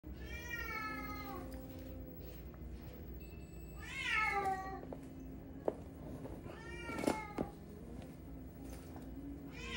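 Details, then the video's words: Frightened domestic cat giving a short series of meows, the first at the start falling in pitch, a louder drawn-out one near four seconds, another around seven seconds; quiet indoor background with a few sharp clicks. "고양이가 겁먹었을 때 나오는 행동"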